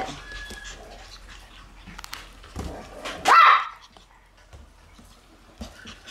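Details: Shiba Inu puppies in their kennel room on August 28; one sharp, high puppy yelp bursts out midway through otherwise quiet room noise with faint scattered clicks and rustles.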